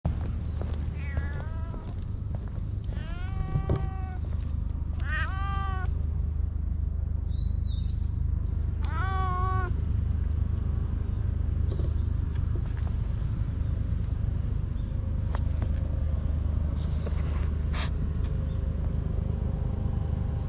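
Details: Stray cats in a park in Japan, with several harmonic meows rising and falling in the first ten seconds, over a steady low hum of background noise; quieter clicks and rustles follow.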